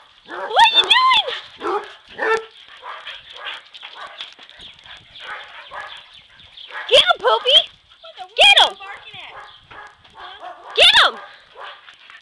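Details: Dodger, a yellow Lab mix, Shelby, a black Lab and Australian Shepherd mix, and Elwood the Basset Hound run and play; sharp barks come in irregular bursts throughout, while people talk and urge them on in the background.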